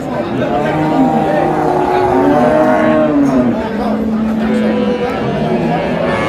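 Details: Cattle at Ambari market in Dinajpur, Bangladesh, on April 24, 2026, where cows are sold with their calves. Several wavering moos, one sliding downward, sound amid a crowd of talking people.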